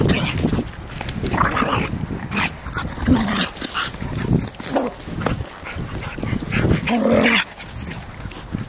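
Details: Jábi, a six-month-old Boerboel, barking: a handful of hoarse, deep barks spaced irregularly across about nine seconds, the last one fuller and more ringing, with rustling and handling noise around them.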